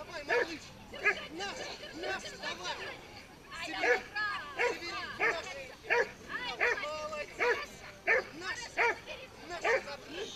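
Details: Tug-of-war at a pit bull show: a pit bull's bursts of harsh, arched barks and whines, roughly one or two per second, mixed with people talking.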